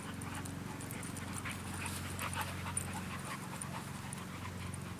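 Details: Two dogs at play, an Australian Shepherd mix and a Belgian Malinois mix; quick breathy panting puffs repeat several times a second over a steady low hum, with faint clinks in the background.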